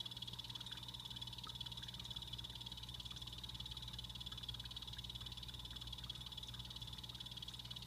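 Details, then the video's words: Blue-bellied poison frogs kept as pets in a natural vivarium with real plants call in a long, unbroken high-pitched trill of fast pulses, with a faint steady hum beneath. "Sound Of Poison Dart Frogs Calling"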